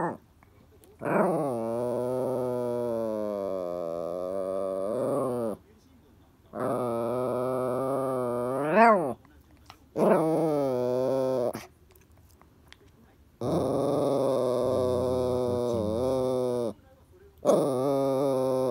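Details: Indoors, Toy Poodle El insists that Happy Hannah hand over the ball, producing five long, moaning, pitch-bending growl-whines of one to four seconds each, with short silent gaps between them, like a grumbling complaint.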